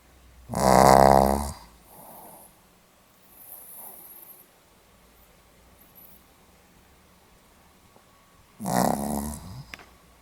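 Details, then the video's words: Sleeping Pomeranian recorded 8 November 2015, giving two loud, throaty snores about eight seconds apart, each a buzzy rattling inhale lasting roughly a second, with faint breathing in the quiet room between them. "ポメラニアン 犬のいびき"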